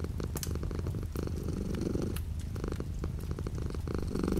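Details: Close, low purring of a house cat with rapid pulses and short breathing swells, accompanied by light rain outside the window and scattered clicks.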